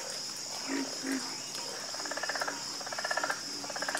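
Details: Frogs croaking in chorus: two low, separate croaks open the clip, then rapid pulsed trills repeat in bursts, all over a constant shrill insect drone.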